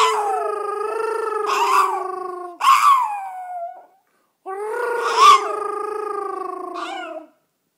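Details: Yorkshire Terrier singing after its owner: two long, sustained howls with steady pitch and wavering, squeaky upper notes in the middle, separated by a brief pause.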